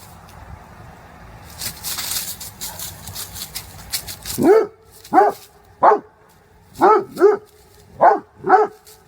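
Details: Domestic dog barking: after a few seconds of quiet background noise, a series of about seven short, sharp barks, some in quick pairs, with a clear mid-pitched tone.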